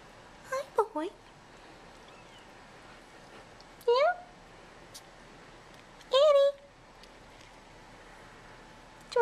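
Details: Bottle-fed kittens in an indoor nursery, crawling out of their tent at feeding time. Three short, high, rising-then-falling mews spaced a few seconds apart, with a soft coaxing human voice between them.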